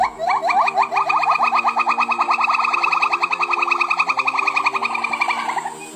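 A silvery gibbon gives a rapid series of hooting notes that speed up into a long, wavering trill.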